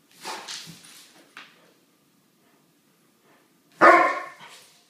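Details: A Weimaraner mother playing with her 10-month-old pup gives a few soft, breathy yips, then one loud, ringing bark.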